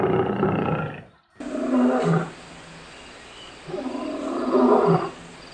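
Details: Lion in the African bushveld giving deep, rough, drawn-out roaring bursts, three heavy groaning pulses each about a second long, the first cut off abruptly, separated by a quieter stretch of low background hiss.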